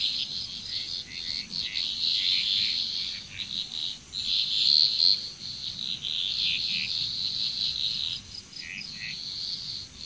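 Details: Many frogs calling together in Bali, Indonesia, a continuous rasping chorus of quick overlapping notes, swelling and fading, over a constant high-pitched background drone.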